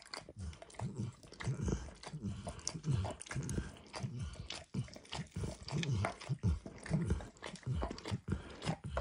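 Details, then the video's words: Dog called Max enjoying food on a bumpy orange lick mat; irregular moist licking and chewing-like smacks about every half second or more, low and close, nothing else heard. "ASMR Dog Licking"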